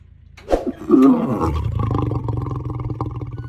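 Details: Lion (Panthera leo), roar.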